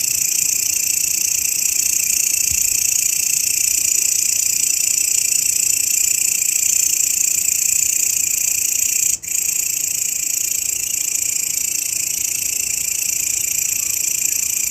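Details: Grasshopper shrilling as a master for cage songbirds; a level, piercing buzz continues throughout, interrupted only by a single momentary dropout midway.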